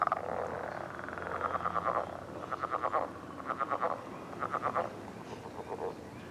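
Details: Morning frog mating calls on a millrace: a series of short, pulsed croaking bursts, each under a second long, repeated with brief gaps, several frogs overlapping.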